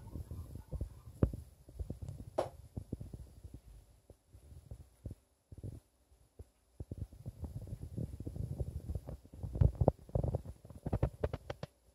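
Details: Low rumbling and soft knocks and scrapes indoors, with no clear animal voice.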